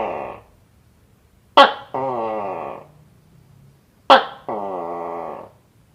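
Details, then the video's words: Gecko giving two calls about 2.5 seconds apart, each a sharp click followed by a harsh, nasal, slightly descending croak lasting about a second, in a quiet setting. "Gecko Making Sound"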